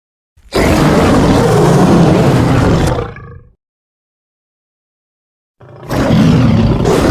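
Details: Lion roar: a powerful, harsh, broad-toned roar of about two and a half seconds that trails off into a low growl, then a sharp cut to silence before a second loud roar begins.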